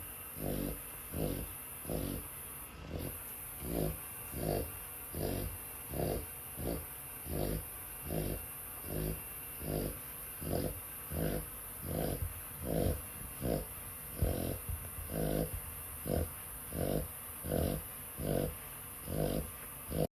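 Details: Dog asleep and snoring steadily: about twenty-six short, gravelly low snores in an even rhythm, roughly one every three-quarters of a second, with a constant faint high hum behind.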